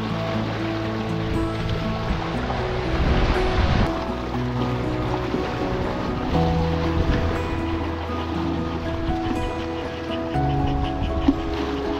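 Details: Upbeat background music plays over rolling surf and wind at a seaside beach.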